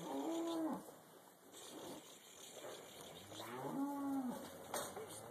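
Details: Black Angus cows, used to the loading routine, being put onto a trailer at a leased property for transport; two clear, steady moos a few seconds apart, each ending with a downward slide.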